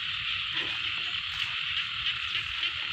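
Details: Frogs calling in a rice field: a dense, steady, high-pitched chorus with faint, fast pulsing that runs unbroken from start to end, over soft low rumble.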